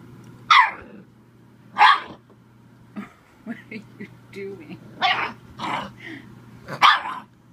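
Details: Playful Bull Terrier pup barking at the camera: loud, harsh barks roughly every one to two seconds, mixed with shorter yips and a few whiny, grumbling sounds between the main barks.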